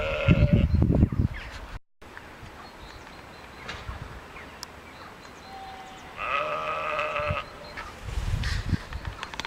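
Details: Sheep seen on a walk in Ballinrobe; one drawn-out wavering bleat in the middle, with loud wind buffeting and rustling before and after.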